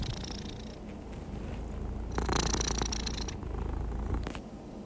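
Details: Happy, relaxed domestic cat purring: a steady, low, continuous rumbling purr throughout, with faint higher hiss above it and brief rustling noises near the middle and just before the end.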